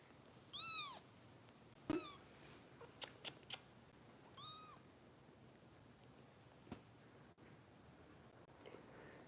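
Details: Foster kitten Harper, cared for by Kitten Rescue volunteers in Los Angeles, during bottle feeding: two high, arched meows a few seconds apart, each rising then falling, with soft clicks and taps between them in a quiet room.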